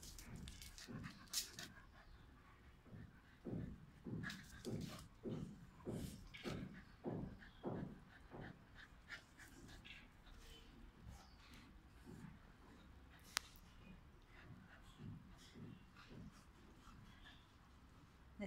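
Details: Scottish Terrier puppy playing in a garden with the dog Pelé on 30 July 2018; a run of rhythmic, breathy low pulses roughly every half second, like excited play panting, then quieter rustling and scuffling with a sharp click.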